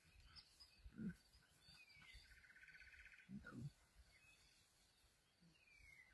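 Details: African lion giving two short, low grunting bursts about two and a half seconds apart, with faint bird calls and a steady outdoor background hum between them.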